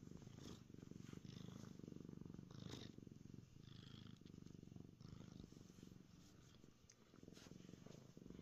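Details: Close, loud purring from Pearl, a happy house cat on a concrete basement floor; the deep rumble pulses rapidly and evenly, swelling and easing with each breath, with faint rustling above.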